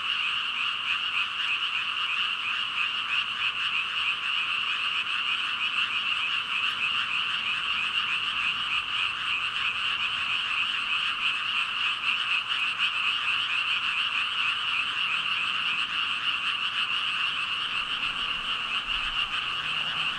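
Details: Some 5,000 frogs croaking together in a long, unvarying chorus, ribbit calls overlapping into a continuous high, pulsing drone with no pauses or other sounds.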